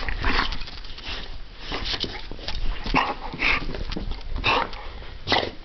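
An American Pit Bull Terrier gives short, rough bark-like bursts mixed with sniffing and soft whimpers indoors.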